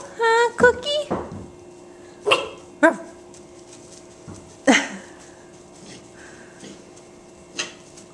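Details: Great Dane puppies in their indoor pen: a steady, high-pitched whine opens, then short sharp yelps and barks break out at irregular intervals, with a person speaking in between.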